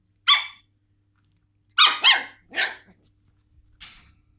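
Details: West Highland White Terrier puppies indoors: a sharp high yap, then after a pause three quick yaps in a row and a softer final yip, bright harmonic barks in a quiet room.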